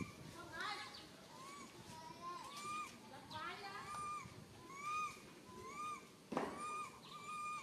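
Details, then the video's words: Tiny baby monkey Santos, alone and stuck on a high tree, calls for its mother with very fearful cries: a rapid series of clear, upturned then falling whimpers, one sharp crack near the end. "Calling Mum Helped while Stuck on high tree alone Tiny baby monkey SANTOS Cry very fearful"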